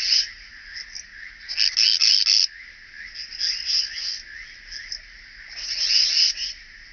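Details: Striated bush-cricket recorded at Vela Ucka, Croatia, on 25 July 2023: high, dry stridulating chirps in uneven bursts, one loud cluster near the middle and another at the end, separated by quieter scratchy pulses.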